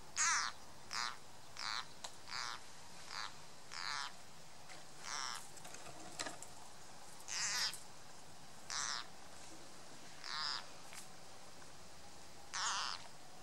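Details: Green frog giving its distress call while being eaten by a grass snake: about ten harsh, bleating squawks, each under half a second, spaced irregularly about a second apart over a steady low hiss.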